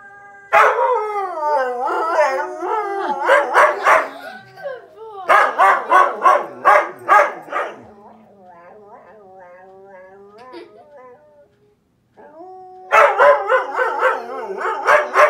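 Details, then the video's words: Indoor husky howling at the TV, German Shepherd also present: long quavering harmonic howls broken by rapid bursts of barks and yips, a quieter wavering stretch, a brief silence, then renewed loud howling with barks. "Husky howling at tv"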